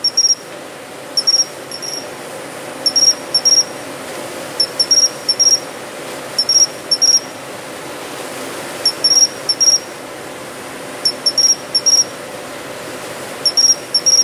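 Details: A Japanese pine cricket singing in early autumn (September–October) in a city-street planting bed sings high, clear chirps in short clusters, repeated every second or two.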